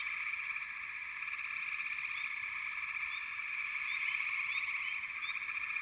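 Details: Frog chorus with a constant trilling wash, plus scattered brief rising chirps from individual callers, a handful of them clustered in the final two seconds.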